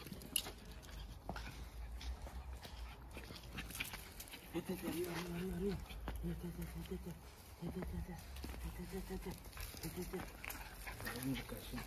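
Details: Two Jack Russell Terriers, close friends, play-wrestling for fun: low, wavering growl-like vocal sounds in bursts from midway on, rising and falling, over scuffling, paw steps and rustling.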